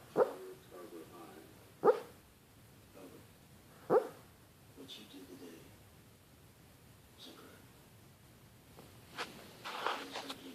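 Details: Sleeping Boston Terrier Maddie Mae dreams aloud indoors: three short, muffled woofs about two seconds apart, then softer huffs and a breathy, rustling sound toward the close.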